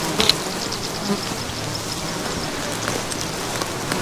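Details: A dense, steady hum of tens of thousands or more flies buzzing together, with scattered clicks and ticks throughout, at an endangered predator project.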